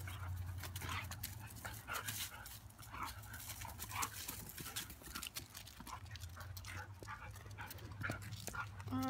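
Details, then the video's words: Two dogs play together, Lily and a neighbourhood dog that visits regularly: scattered huffs, pants and short scuffling snorts in irregular bursts over a steady low hum, with a brief human voice. "Lily playing with a Neighborhood Dog"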